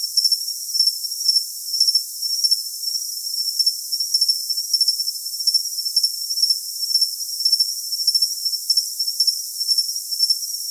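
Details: Shrill cricket song: a continuous high trill with brief brighter chirps spaced irregularly, roughly two per second. No low tones, voices or other animals.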